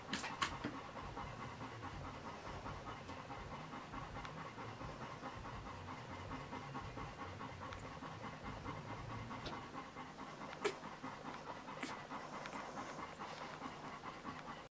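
A Golden Retriever pants steadily, quick breathy huffs running on without a break.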